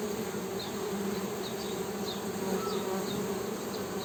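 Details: Steady, even drone of honey bees humming, a low buzzing hum with a brighter overtone layered above, unbroken for the whole stretch, with faint high chirps scattered behind.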